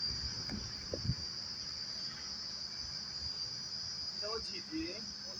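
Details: Crickets calling at a quiet roadside spot on the way to Agra, India: a steady, unbroken high-pitched ringing trill throughout, with people talking softly in the foreground.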